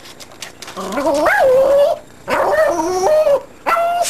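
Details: Female pet dog indoors, barking at nothing, apparently at a tree. Three long, drawn-out, whining, howl-like calls with wavering pitch, split by short pauses. A person speaks to her between the calls.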